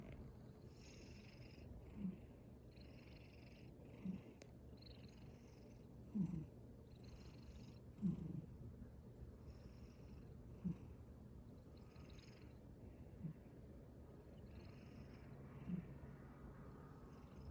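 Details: Cat asleep and snoring, gentle low snores spaced about two seconds apart, each short and muffled, with a steady low drone and faint high electrical whine throughout.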